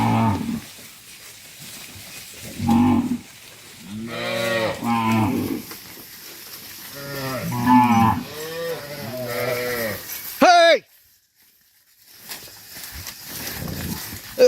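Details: Tame cattle, dozens of them, being herded back to the farm pen make overlapping moos, several harmonic bellows from about 4 to 10 seconds, then a sharp squeal-like rise and a brief silence.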